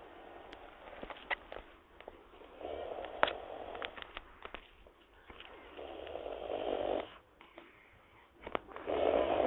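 A wild boar snores in slow, rasping breaths, each rough rumble swelling and fading every few seconds.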